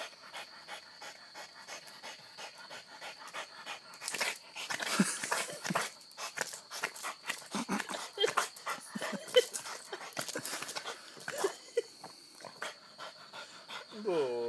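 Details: Hana, a pet dog behaving wildly, pants and snuffles in rapid bursts, with short whimpering and excited breathy sounds building in the middle; a steady high electronic whine runs underneath and a voice speaks briefly at the end.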